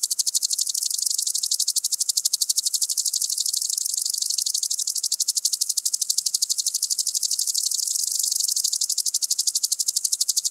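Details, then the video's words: A common green grasshopper (Omocestus viridulus) at Tschenn, Italy, on 19 August 2019 gives a long, rapid, ticking stridulation that runs on steadily for many seconds. "Omocestus viridulus -- Bunter Grashüpfer -- Common Green Grasshopper"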